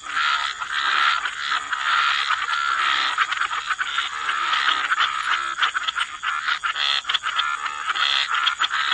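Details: Frogs croaking in a dense chorus by wetland water, overlapping raspy croaks massing into a continuous pulsing din with rapid clicks, a steady high hiss running throughout.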